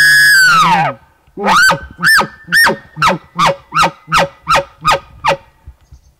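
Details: Bull elk bugling during a September 7, 2018 archery hunt, sounding off from a ridge point between two basins after being drawn out by hunters' calls. A loud, high, falling whistle is followed by about nine rhythmic grunting chuckles, roughly two per second.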